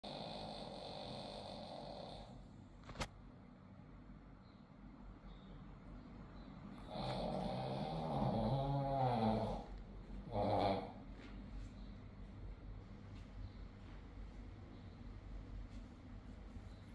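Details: Sleeping dogs snoring indoors: two long rasping, rumbling snores with a harmonic buzz, one stretching about three seconds and a shorter one after it, over a steady low background hum.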